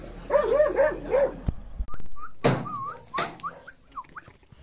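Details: Dog confronting a mirror: a rapid run of short, pitched barks at the start, a couple of thumps, then a scatter of thin, high whining squeaks.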